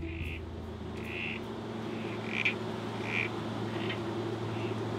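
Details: Male Critically Endangered Southern Corroboree Frogs in breeding tanks at Healesville Sanctuary give short, squelchy calls at uneven intervals during breeding season, drawing females to their nesting burrows.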